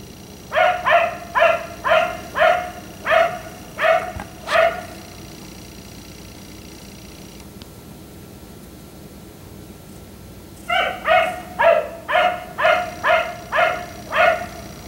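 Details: Black Labrador retriever left outside by neighbours until 1am, barking at night: two bursts of about eight evenly spaced, harmonic barks roughly every half second, split by several seconds of quiet with a faint steady hum.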